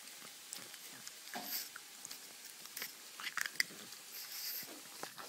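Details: A pug eating candy, making soft irregular clicks and smacking chewing sounds close by.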